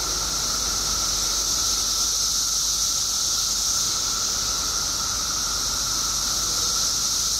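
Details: Mass emergence of periodical cicadas in Illinois after 17 years below ground: a dense, unbroken, high-pitched hiss of countless insects, with a thin steady whine beneath it.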